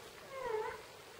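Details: Newborn Rhodesian Ridgeback puppy, one of a litter of twelve born on World Animal Day: a single short, thin, rising-then-falling whine lasting under half a second over quiet background.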